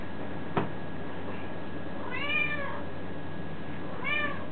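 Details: Indoor domestic cat: a knock, then two arched meows, the first longer and the second short, over a continuous low droning hum.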